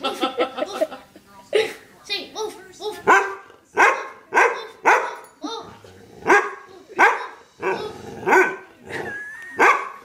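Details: Pet dog that would not stop barking, letting out sharp, harmonic barks in a steady run, roughly one every second for about ten seconds, while a person repeatedly says no and shush over the opening barks.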